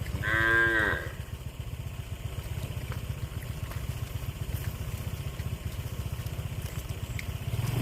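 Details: Cow eating grass: one loud, rich moo lasting about a second at the start, followed by a steady low rhythmic engine-like rumble throughout.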